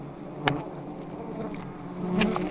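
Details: Giant honey bees buzz as a continuous low hum while two high nests are harvested, with a couple of sharp knocks and the drone swelling toward the end.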